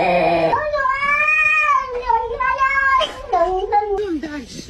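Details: Domestic cat making a funny sound: a long, drawn-out yowling meow, wavering up and down in pitch for about four seconds, ending in a few shorter, falling cries.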